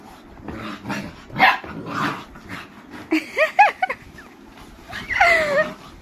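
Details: Boerboel, also called South African or African Mastiff, one of a male and female pair living in Egypt; a few deep barks early, then high wavering whines and yelps with rising and falling pitch near the middle and end.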